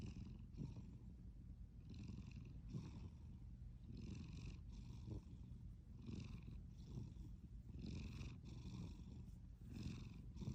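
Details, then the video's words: Sleeping cat snoring: soft, low rumbling breaths rise and fall in a steady rhythm roughly every one and a half seconds, with a faint airy hiss on each breath and little else in the background. "Snoring and sleeping cat"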